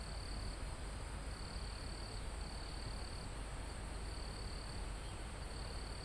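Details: In a calm mountain forest near the summit, crickets and insects produce repeated high, thin trilling bursts roughly every second, recorded live beneath a dense, steady roar of wind moving through leaves and trees.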